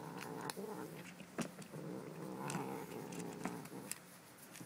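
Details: Pet cat Stanley gives a continuous low throaty growl, steady and rough, broken by sharp clicks and taps.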